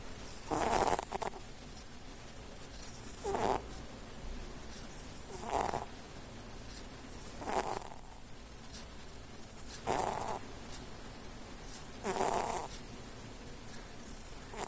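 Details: Snoring house cat, asleep with its eyes half open, gives six regular hoarse snores roughly every two and a half seconds, each a brief raspy inhalation, with a quiet steady room hum between breaths.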